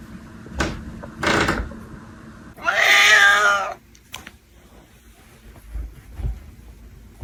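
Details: Domestic cat giving one long, drawn-out meow of about a second, wavering and slightly falling in pitch, preceded by two sharp knocks like a cupboard or door, with faint room noise and quiet thumps afterward.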